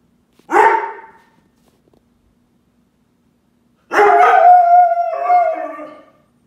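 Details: A male Weimaraner cries in distress after his owner takes his Great Dane sister for a walk: a brief yelp, then a drawn-out, quavering whine-howl that slides lower toward its end.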